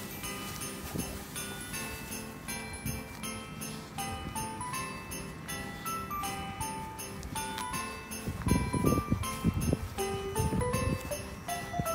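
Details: Bright background music of chiming melodic notes and soft ticking percussion plays throughout, with some louder rustling bursts near the end.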